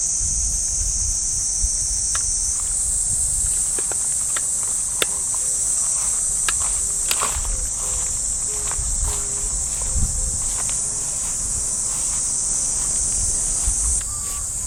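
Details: Summer morning cicadas in a Japanese park give a continuous high buzzing hiss that shifts in strength after a few seconds. Footsteps crunch steadily on the path, and faint distant music plays.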